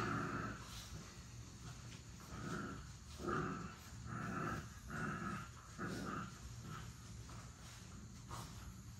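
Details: Young puppies, seven weeks old, wrestling together in play; short growling yips and grumbles come in an uneven series roughly every second, over a constant low background hum.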